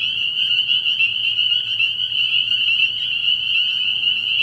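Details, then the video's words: Many spring peepers in full chorus at a night-time frog pond early in the year, their sharp high peeps overlapping into a constant ringing trill over a faint low hum. "Relaxing Tree Frog Sounds"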